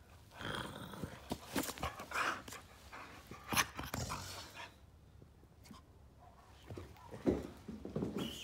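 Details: Lizzie, a female Staffordshire Bull Terrier cross Rhodesian Ridgeback rescue dog, growls playfully while teasing with her squeaky ball indoors; rough low growls and panting bursts, squeaks and rustling, with a woman talking to her.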